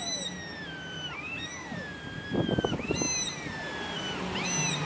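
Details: Male black cat and young male silver mackerel tabby-and-white cat facing off in a prolonged fight in a park. High arching wails slide downward, broken by a short burst of scuffling noise in the middle.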